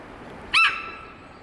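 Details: A 15-year-old female Hokkaido sika deer at Sapporo's Maruyama Zoo, suddenly alarmed by something, gives a sharp, squealing warning whistle; she kept calling loudly for about ten minutes.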